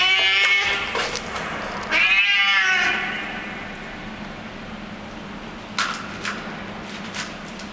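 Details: Hungry street cat eating food in a garage basement, giving two wavering whiny happiness cries in the first three seconds, followed by quieter chewing clicks and a low steady background hum.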